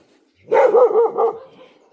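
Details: Lucky, a domestic dog, in the forest at night, alerting to a presence as movement stirs nearby and a wild boar has been recorded; a loud, wavering, tonal bark-yelp, pulsing twice over under a second, then near silence.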